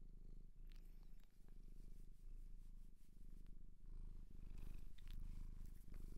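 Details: Shelter-adopted pet cat in Japan purring steadily up close, a low continuous rumbling throb with soft pulses, plus occasional faint rustles and clicks from handling.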